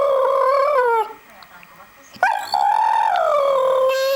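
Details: Pet American Staffordshire Terrier howling, set off by a Nokia mobile phone sound: a wavering harmonic howl for one second, a pause, then a longer howl that rises, holds and slowly falls.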